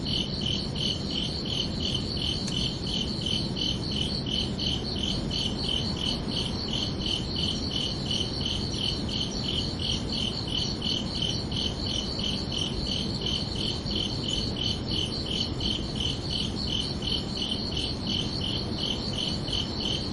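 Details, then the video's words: Under a peaceful night sky in summer, crickets keep up a long, unbroken series of rapid high chirps, evenly paced and unchanging in volume, with a low steady background hum throughout. "Calming Cricket Sounds for Relaxation"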